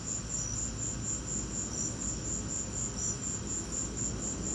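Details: High-pitched cricket chirps repeat steadily and rhythmically through a lightning storm, set against a soft, constant low roar.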